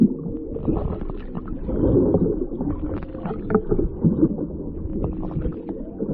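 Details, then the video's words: Whales recorded underwater near Maui from a whale-watching trip's lowered microphone. Low droning moans hold steady and then bend in pitch, with short grunting pulses over a rumbling, gurgling background. "listening for whales"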